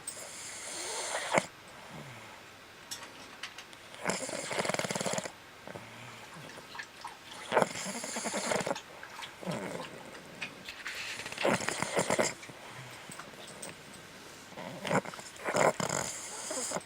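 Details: A Boston Terrier sleeping with one eye open snores in rough, rasping bursts, each breath a noisy rattling rush, before being interrupted by another Boston Terrier.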